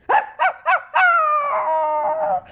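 A sick dog gives three short, hoarse yaps, then a drawn-out, slightly falling whine-like howl.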